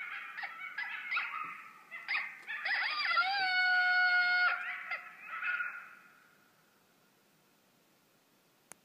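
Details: Coyotes howling at night near Medford Beach, Nova Scotia, recorded from a back deck. Several voices overlap in wavering, high, sliding howls and yips for about six seconds, then it falls quiet.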